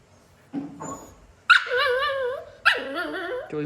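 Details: Playful, naughty pet dog with the family's mother: silence, then a short rough yelp and two long wavering whines, the second dropping in pitch, with a low grunt at the very end.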